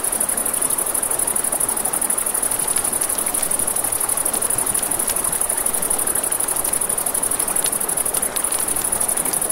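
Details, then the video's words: Crickets chirr continuously in a high, fast, regular pulse on a river bank at night, accompanied by steady flowing water and repeated crackling pops from a campfire. "Campfire by the River at Night Ambience | 1 Hour of Crackling Fire, Crickets, Ambient Nature Sounds"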